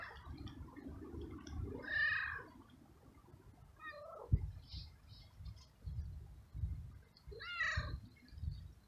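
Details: A stray tomcat in heat, seeking a female and excited by petting, gives a drawn-out meow, a short falling mew and a final rising-falling meow, separated by quiet gaps with low background rumble.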